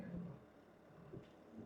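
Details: Gino, a rescued Argentinian lion at a sanctuary, sings a deep, moaning lion song that fades after a moment, welcoming a newly arrived tiger. A second lion, Sophie, is also credited with the song.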